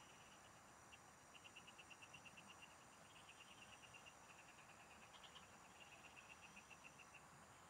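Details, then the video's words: Frogs in the fields heard while fishing, giving long regular runs of crisp pulsed notes, roughly eight per second, with a brief higher burst midway and an unbroken insect whine underneath. "Pikinggan mo Ang MGA huni Ng MGA Palaka SA bukid| Relaxing Frog Singing"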